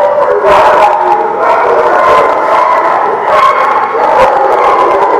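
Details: Dogs recorded at The Barking Lot on April 28, 2017, produce a steady wall of barks, yips and drawn-out howling tones, with sharp bark bursts standing out from the continuous layered noise.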